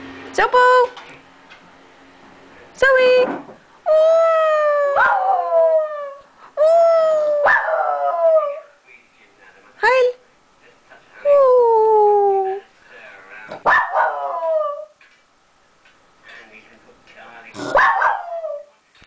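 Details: Zoey, a dog left behind when her sister was taken to the vet by car, gives a series of drawn-out howls and yips, each sliding downward, separated by short pauses, with some speech in the background.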